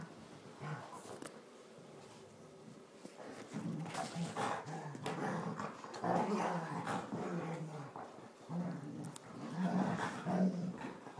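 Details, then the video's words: Two Border Collies, a tri colour and a blue merle, play fighting indoors in a lounge: low rumbling growls rising and falling in irregular bursts, building louder after a quiet start, with scuffling noises between. "Border collie fun fight"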